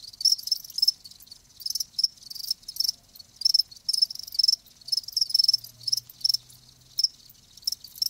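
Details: Live crickets chirping: short, bright, high-pitched pulsed bursts repeating in a steady rhythm roughly every half second, with brief quiet gaps between them and no other sounds.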